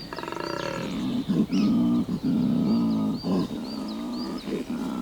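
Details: A large, collared male koala at Cape Otway bellows in deep, rasping, snoring and grunting pulses: his mating call at the start of the spring breeding season, as the weather warms.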